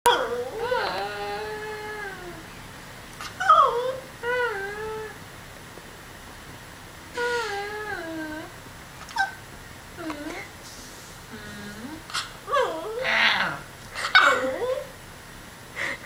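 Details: A miniature schnauzer puppy, responding to its owner making noises, barks and then gives drawn-out, falling whines and yelps, with a person speaking briefly.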